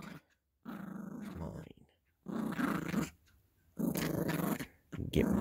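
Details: Yorkshire Terrier puppy growling while playing with a squeaky elephant toy indoors; three bursts of low, rough growling separated by short pauses, with a person's voice saying "gimme" nearby.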